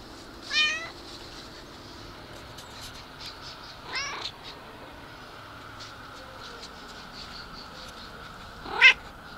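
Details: Cat meowing: three separate bright, harmonic meows, about four seconds apart, each short with a falling pitch. The last is the loudest and sharpest. A faint steady hum sits between them.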